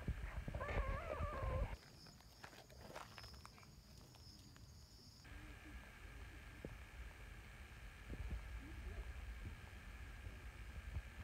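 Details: Female brown tabby community cat joined by a later-arriving black cat; an opening drawn-out, wavering meow lasting about a second, followed by quieter rustling, low thumps and a faint short sound later on.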